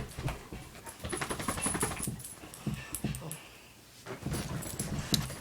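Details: A Pomeranian-Welsh Corgi mix dog makes a run of grumbling, growly whines and yips indoors.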